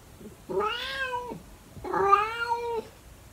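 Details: In the early morning, a calico cat gives two prolonged meows, each nearly a second long, rising slightly and then holding steady with a rich, harmonic tone before fading, with a brief pause between them against a quiet background.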